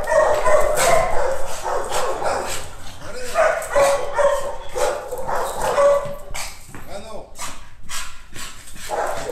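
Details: Chilanga, a nine-month-old female American Bully Pocket training as a protection dog, delivers a steady stream of fast, rough barks mixed with yelps, a human voice faintly underneath.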